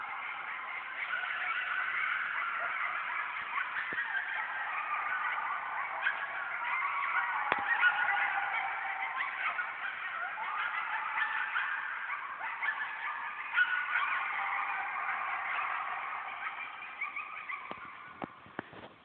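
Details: Whole coyote pack howling together at night in a yard: thick, sustained chorus of quavering, sliding howls and yipping, steady throughout and tapering off at the end, a few sharp yips breaking through.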